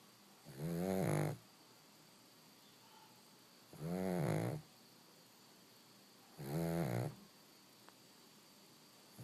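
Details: Pug puppy napping indoors, snoring in slow rhythmic breaths: three raspy, buzzing snores, each about a second long, spaced roughly every two and a half to three seconds, with quiet hiss between.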